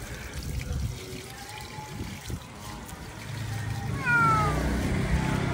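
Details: Domestic cat meowing while being rinsed after shampooing inside its cage during a home bath; a single drawn-out, falling meow near the end, over running water and low background rumble.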